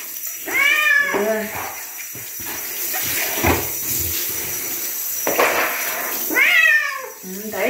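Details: A bobtail cat named Chino meows during a bath: a sharp rising-falling meow at the start, then stretches of splashing and handling noise, then two more insistent meows near the end.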